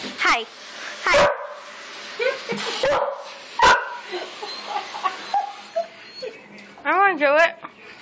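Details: Pet Border Collies, three dogs, recorded on an Android phone: a few sharp broadband barks, then a rising and falling whine near the end, with a person talking throughout.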